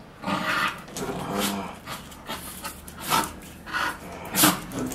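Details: Bull Terrier at play with a solid nylon-wrapped bicycle tyre, giving short throaty growls mixed with breathy panting, in irregular bursts, with faint chewing noises.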